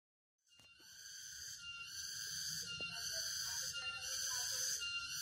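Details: Cicadas singing in a forest near Jatiarjo, Prigen, Pasuruan, East Java, 23 October 2020, on a walk. After a brief silence, a dense, shrill, buzzing drone swells in and pulses roughly once a second, with soft low rustling beneath.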